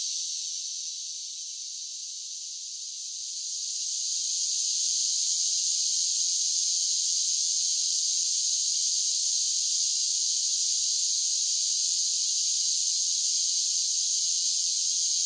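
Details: Summer cicadas singing in one continuous, high, hissing drone with no breaks; it dips softer for a few seconds near the start, then swells back to a steady full level. No other sounds.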